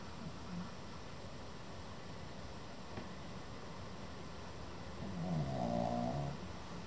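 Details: Sleeping male Pekingese nearly seven months old snores indoors: soft breathing at first, then one loud, buzzy, rough snore lasting over a second near the end.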